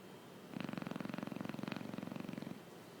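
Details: Chow Chow dog asleep indoors, snoring: one two-second snore made of rapid fluttering pulses, about four per second, with a rough buzzy low rumble.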